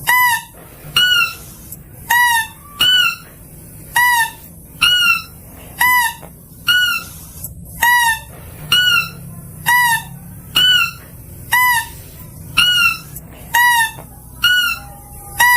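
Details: Mouse-deer call recording used for luring: short, bright harmonic squeaks, each with a slight downward flick, given singly or in quick pairs roughly once a second over a steady low background hum.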